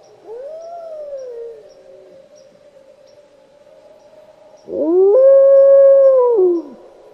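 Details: Wolf howls: a softer howl rises and falls, then a low steady hum, then a loud howl swoops up, holds a long level tone and drops away at the end.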